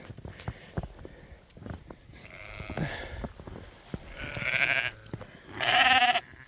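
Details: Sheep on a Montana farm in winter, being moved to bale grazing in mild weather, give two loud wavering bleats near the end after scattered thumps and handling noise, with a person's snort heard earlier.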